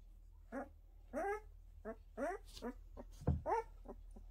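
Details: Pyrenean Mountain Dog puppies indoors during their first steps, giving a run of about eight short whining squeaks in four seconds, each bent and slightly rising then falling, with one soft thump; the room is otherwise quiet.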